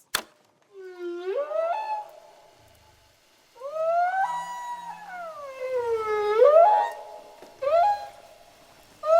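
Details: Humpback whale song recorded underwater, sounds said to travel hundreds of miles: long, rich moaning tones that sweep upward and then slowly downward, with pauses between the phrases and a few short rising whoops.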